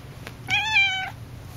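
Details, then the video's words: Cassidy, a very talkative house cat, gives one loud, steady, drawn-out meow lasting about half a second, rich in harmonics, against a quiet indoor hum. "Loud Cat"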